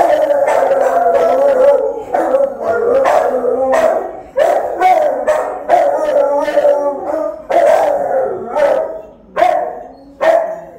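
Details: A Rottweiler keeping watch over the house with its owner gone, caught on a phone left recording; rapid, forceful barks blending into howl-like wails, about a dozen sharp onsets over eleven seconds.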